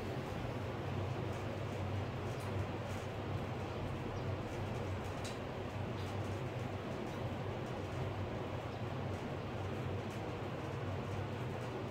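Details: Constant low rumble of engine or traffic noise, broad and unbroken, with no animal calls.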